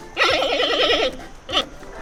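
A giant panda gives a wavering, goat-like bleat, then a brief second note.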